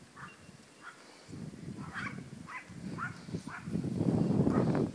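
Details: Chihuahua puppy playing outside, giving a run of short high yips roughly every half second, with rustling and scuffling noise growing louder toward the end.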